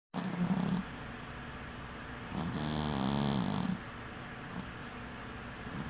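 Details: Cat snoring while asleep with one eye open: two raspy, rumbling snore breaths, a short one and a longer one, with quieter breathing in between in a still indoor room.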